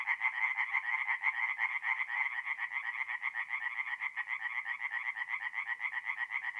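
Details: Tree frogs singing at night in a forest pond in mid-April, north-east Italy; a dense chorus of rapid nasal croaks, about two per second, overlapping voices forming a continuous pulsing wall of sound.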